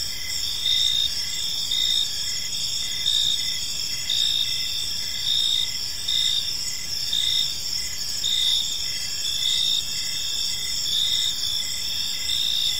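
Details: Crickets chirping in a park in the evening, a dense steady high-pitched trill with pulsed chirp bursts recurring roughly once a second over a continuous insect chorus; no other clear sounds.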